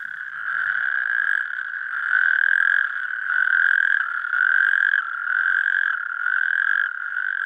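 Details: A calling chorus of male natterjack toads (Epidalea calamita) gives loud, rasping, overlapping trills in the mating season. They call at fish-free puddles in Schaffhausen Nature Park, Switzerland, where the species is declining.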